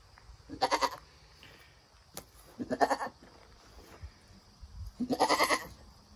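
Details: Nigerian Dwarf goats at the birth of a doeling kid that stands up and nurses from its mother. Three loud, wavering bleats come about two seconds apart over a quiet, faintly humming background.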